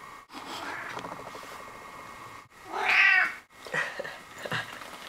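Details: Sixteen-year-old male cat indoors in a front hall, obsessed with dirty shoes, giving a strained drawn-out meow near the middle and shorter broken calls after, over steady rubbing and rustling noise.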